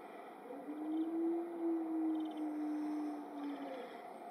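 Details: Timber wolves at the Erlebnis-Zoo, in a captive group howling from the raised spot of their right enclosure section, led by the alpha wolf. One long, low, steady howl lasts about three seconds, rising slightly then holding level, with faint bird chirps and background hum.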